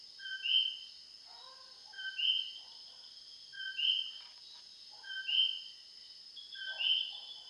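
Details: Common coquis calling very loudly at night in the Puerto Rico countryside: a repeated two-note co-QUI, a lower tone then a high whistled upsweep, every one and a half seconds, over a steady high insect-like hum.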